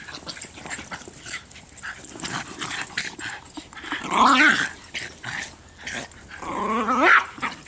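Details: Bix, Banjo and Button, three dogs at play with a Jolly Ball indoors, give rumbling play growls, broken by two louder, strained, whiny growl-barks about three seconds apart.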